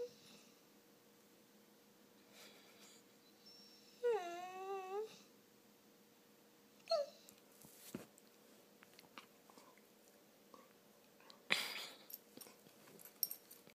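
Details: Indoor Lab and Finnish Lapphund cross whining for attention. One drawn-out, wavering cry lasts about a second, then a short yelp follows, among soft rustles and clicks.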